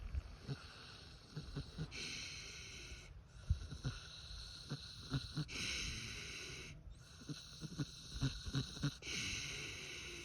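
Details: Free-range pig asleep and snoring, with wheezy, airy breaths repeating roughly every two seconds, broken by small grunting clicks, against a constant low background hum.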